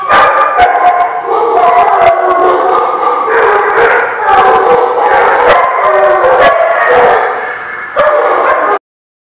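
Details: Many dogs barking together in a busy, overlapping chorus at a dog facility on 7/10/15, with yips and some howl-like notes running continuously for about nine seconds before stopping abruptly.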